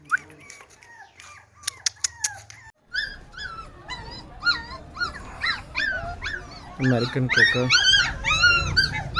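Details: Puppies offered for sale at a dog dealer in India, several breeds listed, give high, rising-and-falling whimpers and yelps that grow denser and louder toward the end, after a brief stretch of human voice and clicking at the start.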